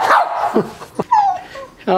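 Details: A corgi puppy stuck under a couch gives short, high whimpers and a falling whine, with a person's voice nearby coaxing her out.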